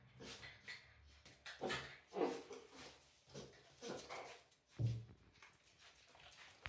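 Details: Bull Terriers Danny and his son Rich, indoors, low grumbling whines and snuffly bursts roughly every few seconds, with a deeper grunt toward the end.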